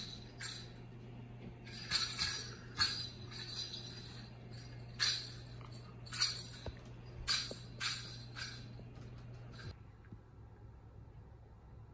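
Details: Jingling bell shakes come in bursts, about ten over ten seconds, against a steady low hum, with no animal voice heard.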